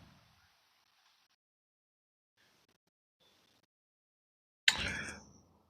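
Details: Near silence with faint hiss, ending in a brief sharp clatter or knock.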